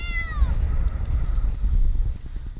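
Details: Eight-month-old kitten Jinx, stuck in a tree in Newark, Ohio for two nights, cries once with a short, descending meow at the start, then only the rhythmic throb of an idling engine continues.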